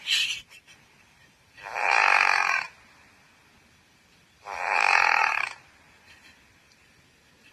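A Pekingese snores in slow, raspy breaths, each rough snore lasting about a second.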